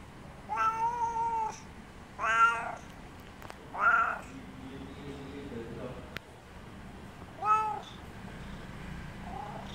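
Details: Domestic cat meowing because it wants company, recorded 2017-07-25: four drawn-out, harmonic-rich meows, each about a second long and spaced a couple of seconds apart, with faint low background rumble between calls.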